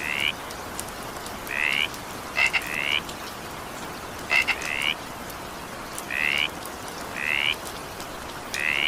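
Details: Evening rain with frogs: short grating croaks that climb slightly in pitch, spaced irregularly, a few led by quick double ticks, over an even rain hiss.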